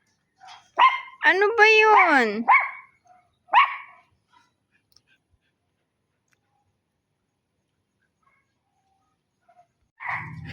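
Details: A dog gives a few quick barks, then a drawn-out, wavering howl that rises and falls in pitch, followed by one more short bark, a long quiet gap, and a final bark.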